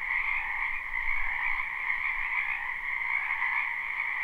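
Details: Spring wetland frogs in a continuous live chorus, with layered croaks and trills forming a constant droning buzz in two pitch bands and a faint low rumble near the start.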